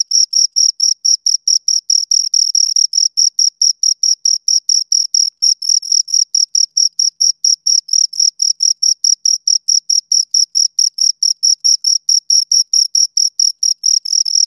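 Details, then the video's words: Two crickets keep up a long, regular train of high, sharp chirps, pulses following one another quickly and evenly for the whole stretch, nothing else audible. "Two Crickets Chirp Sounds"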